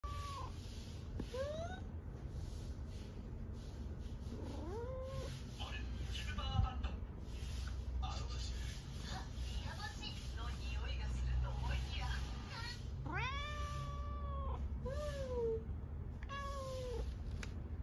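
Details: Tabby cat chatting with its owner; several short, soft, rising and arched meows scattered through the clip, clustered near the end, over a steady low hum and background noise.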